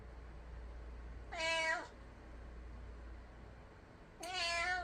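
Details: Pet cat indoors, stirred up after hearing stray cats fighting outside, gives two clear harmonic meows about three seconds apart, the second longer and slightly rising; steady low hum in the background.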